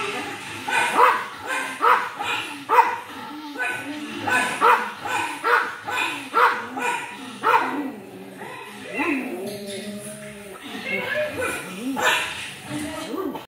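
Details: A pug barking at himself, giving a run of steady, yappy barks roughly once a second for about eight seconds, then softer, whinier vocal sounds mixed with human voices toward the end.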